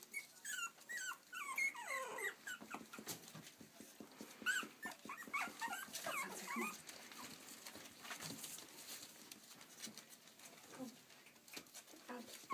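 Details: Playful Yorkshire Terrier puppies in Stockport, Cheshire, UK, giving a run of high, thin whining squeaks and yelps in the first seconds, then scuffling and pattering with scattered softer whimpers later on.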